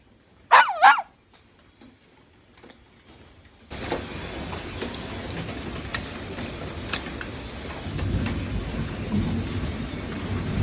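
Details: Two sharp, high yelping barks from a pet poodle in quiet at the start, then a sudden loud, continuous rushing roar covers the rest.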